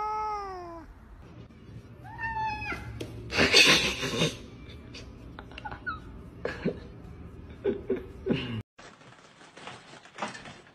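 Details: Cat meowing indoors in a funny compilation: a drawn-out falling meow with clear harmonics, then shorter wavering meows around two seconds in, followed by bursts of noise, thumps and scattered short cries.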